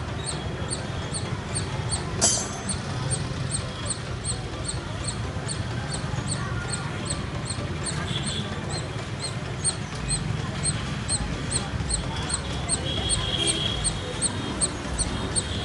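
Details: Squirrel calling in a birdlike way, a steady run of short high chips repeating about every 0.4 seconds over a low rumbling background, with one sharp click near the start.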